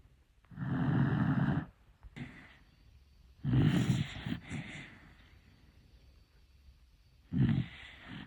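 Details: A dachshund snores loudly enough that the owner wears earplugs, each rough, rumbling breath rasping out about every three seconds.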